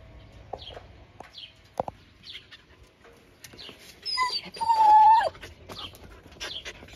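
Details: Nova, a blue-eyed Siberian Husky, happy at a lunchtime visit, gives a short, high, wavering whine that rises then falls, among soft sniffs and faint clicks.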